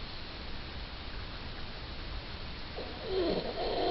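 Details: Sleeping female Yorkshire Terrier named Suzette; after quiet hum, a sudden nasal whistle-snore rises and wavers through the final second.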